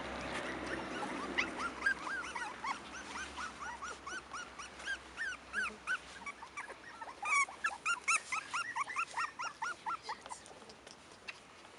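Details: Litter of Cairn Terrier puppies at five weeks, born 28 June 2015, producing dense high whimpers and sharp yips in irregular bursts, many pups calling at once, loudest in a cluster of squeals partway through.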